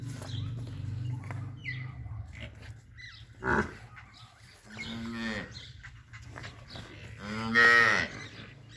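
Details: One-year-old Nili-Ravi buffalo at Chak Dhillu, Gujrat, giving two deep, harmonic moos of about half a second each, around the fifth and eighth seconds, after a low rumbling background and some faint voices.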